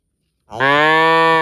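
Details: A cow in a park gives a single loud, steady moo after brief silence, rich in harmonics and held evenly to the end.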